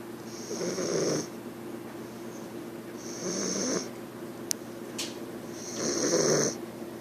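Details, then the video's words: English Bulldog puppy named Bugsy snoring while asleep: three raspy, rattling breaths about every two and a half seconds, each with a hissing high edge, plus a couple of sharp clicks between them. "Snoring English Bulldog puppy Bugsy"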